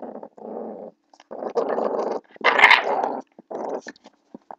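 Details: Blue pit bull puppy growling while play-fighting with a person; rough, rasping growl bursts of about half a second to a second each, separated by short pauses, with one louder harsh burst midway and faint short whines near the end.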